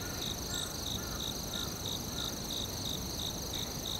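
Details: Forest crickets keep up regular chirps, around three pulses a second, with a steady shrill drone above; faint brief lower tones drift in and out against the background hiss.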